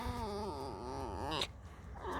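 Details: Pet fox just woken after sleeping all day, being petted and complaining: a loud, wavering, whining squeak with rich harmonics that undulates for about a second and a half, then stops abruptly, with a brief clatter and a short squeal at the end.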